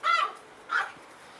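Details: Eight-week-old Schipperke puppies give two short, high-pitched yelps, the first longer and the second briefer after a short pause, in a quiet indoor setting.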